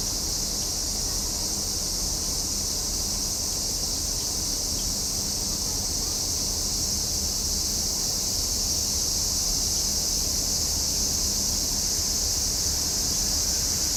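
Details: Steady high-pitched buzzing of cicadas in summer, a continuous sizzle that fills the whole stretch without rising or falling, backed by a quiet low-frequency murmur.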